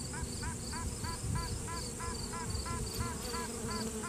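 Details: Inside a honey bee hive, a virgin queen sounds off to assert her dominance: short nasal, honking pulses repeated about three times a second in a steady series, over a low hive hum and handling noise, recorded on a cell phone.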